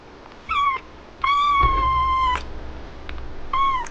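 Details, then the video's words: Sulky, jealous kitten, upset when its owner paid attention to another cat, gives three meows indoors: a short falling one, a long drawn-out level whine, then another short falling one, with faint low thumps. "My jelous kitten got sulky when I was interested in another cat!"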